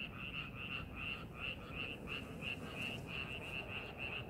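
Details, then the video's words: Frog calls from a rice paddy during preparations for farming: short bright croaks in quick succession, roughly three each second, with a low steady background rumble. "농사준비하는 논에서 개구리 울음소리"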